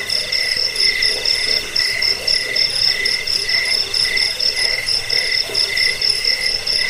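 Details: Jangkrik, a cricket, chirps steadily in a recording sold for driving off rats and training birds; shrill pulsing trills repeat about twice a second over a constant high hiss of insect song.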